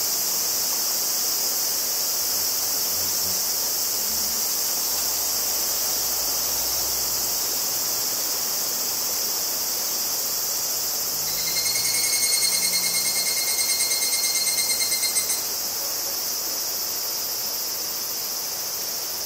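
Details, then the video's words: Higurashi cicadas (Tanna japonensis) sing a steady, high, hissing drone, joined midway by a pure, sustained buzzing tone; recorded 14 August 2011 in Kobe, Japan. "Cicada: Sound comparison between Zoom H2n and H2: フィールドレコーディング機材"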